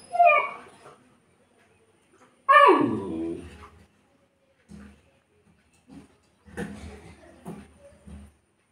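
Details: Saint Bernard dog left alone in a locked room, whimpering with a high, thin cry at the start, then a loud falling yelp, followed by several softer broken whines and snuffles.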